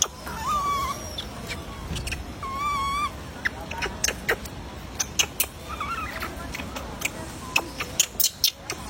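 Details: Baby monkey crying while not being fed: plaintive whistled cries near the start and around three seconds, each steady then wavering, followed by scattered sharp clicks and taps and fainter cry fragments.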